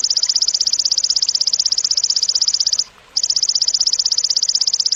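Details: Cililin song intended to teach contest songbirds sharp notes: a continuous shrill pulsing buzz, steady and evenly spaced, stopping briefly after almost three seconds before carrying on at the same high pitch.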